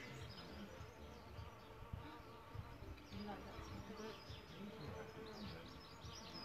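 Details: Solitary bees nesting in a bug hotel: low, droning wingbeat buzzes with harmonics rise and fade as the bees come and go, while faint high bird chirps flicker in the background.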